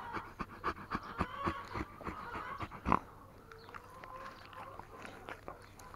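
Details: Tornjak, the Bosnian-Croatian livestock guardian sheepdog, panting while being cuddled: quick breathy huffs repeated several times a second through the first three seconds, then softer breathing with a faint steady hum behind.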